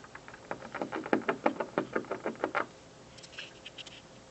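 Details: Squirrel on a windowsill chewing an office building in the afternoon: rapid, rhythmic gnawing scrapes, roughly three per second for about two and a half seconds, followed by a few fainter, higher scratchy clicks.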